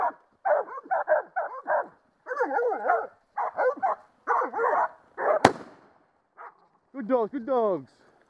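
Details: Catahoula dogs bailing a creek boar at a hog-dogging event, 2012; a run of rough, rapid barks in uneven bursts, a sharp crack partway, then a hoarse drawn-out rising and falling bay.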